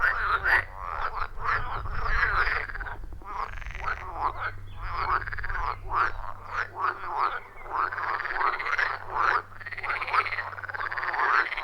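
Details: Frog chorus at a wild forest pond, recorded on an iPhone 14 Pro with a Shure MV88+; overlapping rhythmic croaks pulse continuously, with a low rumble strongest early on and a faint steady hum afterward.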